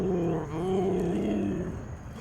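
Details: Low rumbling growl from a captive big cat at a wildlife refuge, acting as a wild animal showing who is boss; a single continuous growl of about one and a half seconds that fades out.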